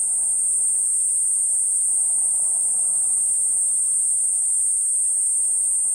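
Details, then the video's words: Kuroiwa niinii cicada (Platypleura kuroiwae) singing a steady, shrill, unbroken high-pitched drone that holds an even level for the whole stretch, with a faint low murmur beneath it. "クロイワニイニイ 鳴き声"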